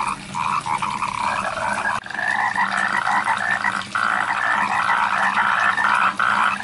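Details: Rice field frogs make a dense, noisy chorus of many overlapping croaks at varied pitches, with a constant hiss of background sound.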